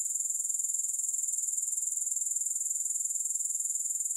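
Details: Unbroken shrill insect trill from grasshoppers, no music, a rapid regular pulsing of roughly four beats each second, high and hissing, with no other sounds.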